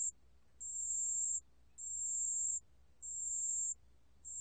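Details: Pale bell cricket, 2020 recording: sustained high tinkling trills in pulses lasting around three-quarters of a second, spaced by short quiet gaps in a steady rhythm, a soft low-pitched hum underneath.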